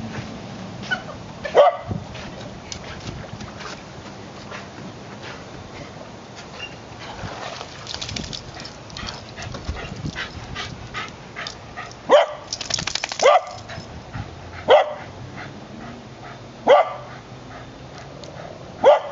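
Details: Swimming female white terrier, five years old, chasing a ball through water, giving single sharp barks spaced a few seconds apart among steady splashing and water noise.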